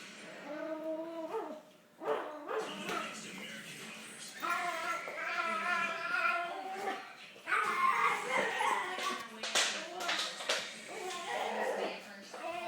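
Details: A male Pomeranian-Havanese mix puppy playing tug-of-war makes a high, whiny, rumbling growl, an unusual noise he makes while playing, with people talking and laughing nearby.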